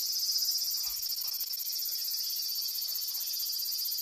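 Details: A wild cicada in Japan, confronting a cat on 13 August 2017: a continuous high, shrill buzz, steady and rapidly pulsing throughout, with faint background noise.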